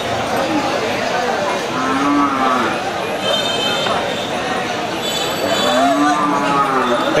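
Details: Cattle at the Momtaz Qurbani cattle market in 2022: two low, drawn-out, arching moos, near the second and sixth seconds, rising then falling, set against steady crowd chatter, vehicle rumble and tooting horns.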